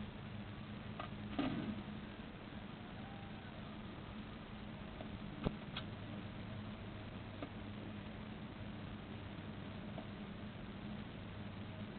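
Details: A steady low hum fills the recording, broken only by a few faint taps and clicks, with no clear animal calls.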